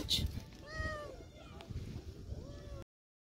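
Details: Hungry lonely stray cat in an old park, fed by a passer-by, meows after eating: two clear, drawn-out meows, rising then falling, with a person's voice and low rumbling background noise.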